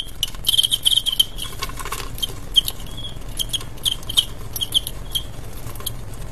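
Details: Adu jangkrik, a cricket fight between males: a quick trilled chirp burst at the start, then scattered single high chirps amid dry clicking, rubbing patter.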